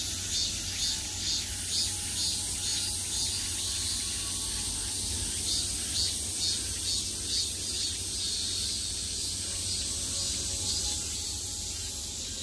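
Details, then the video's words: Cicadas singing everywhere in high summer: a bright, piercing buzz beating in quick regular throbs about twice per second, sustained throughout, with low-frequency rumble beneath. "매미소리를 들으며 휴식. Cicadas's buzzing sound"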